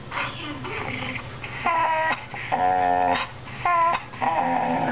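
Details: Pet Bull Terrier talking: a run of drawn-out, rich whining moans that rise and fall in pitch, about five separate vocal bursts within five seconds, over a steady low hum.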